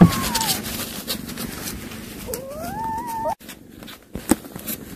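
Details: Mother cat that caught a mouse to feed her young, calling her kittens. A short falling tonal call opens, then a longer drawn-out call near three seconds rises and wavers, with rustling and handling noise behind.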